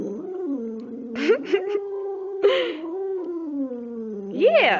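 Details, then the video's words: Precious, a female pet dog, keeps up a steady, wavering howl with a low dip partway through and a rising, quavering end, while a person chats along over it. "Precious sings and talks!"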